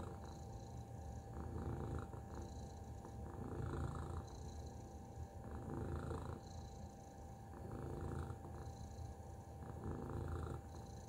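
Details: Tacy the cat keeps up a soft, deep purr, a buzzing low vibration with rhythmic pulses and slow swells in loudness every couple of seconds, over a faint steady hum.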